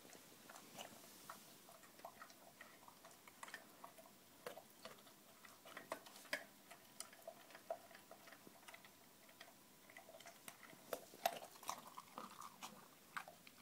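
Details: A Bull Terrier eating raw food crunches and chews in sharp, irregular clicks and wet smacks.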